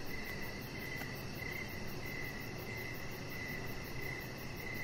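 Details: Evening crickets sing outside by a deck: regular short chirps at a mid pitch, roughly one and a half per second, layered over a thin, rapid high-pitched pulsing and a steady low rumble.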